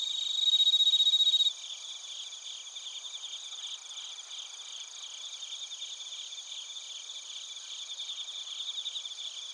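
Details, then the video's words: Crickets and bell crickets in Narita, Chiba Prefecture, Japan, via TASCAM Portacapture X8: a bright ringing trill sounds briefly at the start, then many high, evenly pulsed chirps continue as a steady overlapping chorus. "スズムシとコオロギの鳴き声 - Chirping of crickets"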